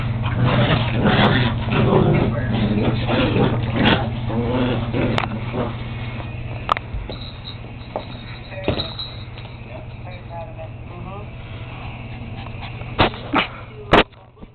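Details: Two pet dogs, Tyson and Zoe, play fighting: dense low rumbling growls and scuffling over the first few seconds, then quieter grumbles broken by sharp knocks and thuds toward the end.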